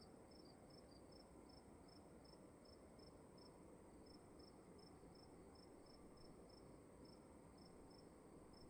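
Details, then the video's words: Short bright cricket chirps, evenly spaced a little over two per second, sound inside a room above a soft, steady background hum. "Sound of emptiness and crickets in the room"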